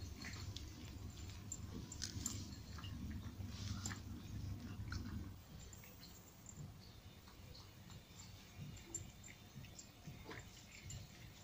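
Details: Nine cats in Portugal crunching dry food at breakfast and snack time; rapid, irregular soft clicks and chewing, with a louder low rumble for the first five seconds, then quieter scattered crunches.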